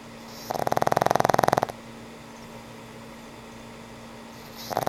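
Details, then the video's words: Sleeping elderly pug gives one long, rapidly rattling snore of just over a second, then a quiet pause with a steady low hum before the next snore begins. "Sweet old pug snores"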